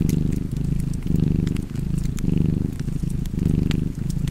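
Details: Purring domestic cat with a fireplace crackling nearby; a rich, low, vibrating purr alternates between louder and softer phases about every second, with light pops from burning logs.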